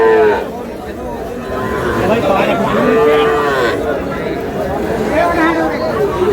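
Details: Small bulls and heifer calves at a cattle market in Faridpur, Bangladesh, on 15 May, lowing in drawn-out moos that overlap each other amid the chatter of a crowd of people.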